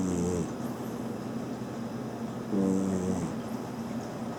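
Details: Maine Coon cat Mira asleep and snoring, two buzzy, harmonic snores about two seconds apart, the second longer and louder, over low indoor background noise.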